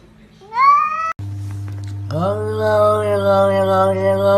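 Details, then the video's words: Domestic cat meowing as if talking: a short rising meow, a brief pause, then a long drawn-out meow held steady and wavering slightly, over a constant low electrical hum and faint background sounds. "Funny Sounds Cats talking"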